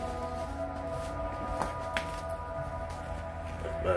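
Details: Steady tonal music with sustained low notes fills the room, broken by a few soft clicks and shuffles, with no animal voice.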